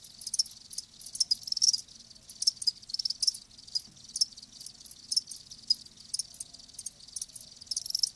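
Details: Several live crickets chirp in high, thin pulsed bursts, some overlapping, repeated irregularly about twice a second against a faint low background hum.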